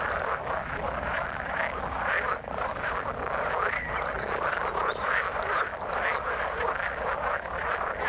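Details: Frogs in the water forming a thick, continuous chorus of many overlapping short croaks and clicks, steady in loudness with no clear gaps, one caller hard to pick out from the crowd.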